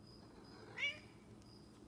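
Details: Snowshoe cat missing its owner gives a single short rising meow, bright and high, with a faint steady cricket-like pulsing and a low hum behind it.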